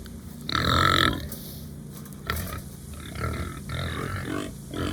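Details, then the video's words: Hungry farm pigs on a new farm give one loud, strained squealing grunt, then a run of softer, low, rough grunts close by. "My Pigs Are Making Funny Sounds"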